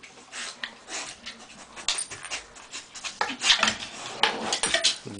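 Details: A 14.5-year-old female Cocker Spaniel with a ball, on the last day of her life, pants in quick, breathy bursts with a few faint whimpers.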